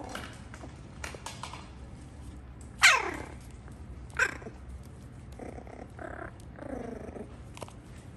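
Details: Six-week-old Schnauzer puppies playing indoors with a new toy: one sharp high yelp sweeping steeply downward, a shorter second yelp, then soft harmonic whines, over clicks and clatter from the toy.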